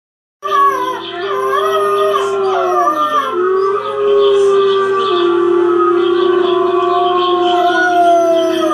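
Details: A 9-week-old Boxer-Basset Hound mix puppy howls in long, wavering, drawn-out notes that slide up and down, reacting to a video playing on TV indoors.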